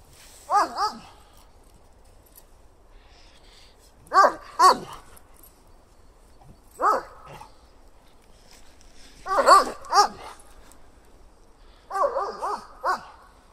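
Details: Male German Shepherd, about two to four years old, with ears that do not stand, an energetic shelter dog seeking a home; barks in short bursts of one to three, spaced several seconds apart, in a quiet setting.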